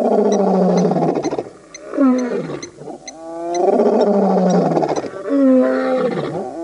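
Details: Birmingham Boys coalition of lions roaring at the dam in Djuma Game Reserve, Sabi Sand, South Africa, August 2016; loud overlapping moaning roars with wavering harmonics, sliding down at each end, while faint high chirps tick steadily behind.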